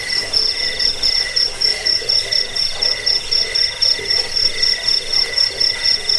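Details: Several crickets trill together in a recording meant for chasing off rats and training birds; a bright, very high pulsed tone dominates, with rhythmic swells roughly every half second and softer lower chirping.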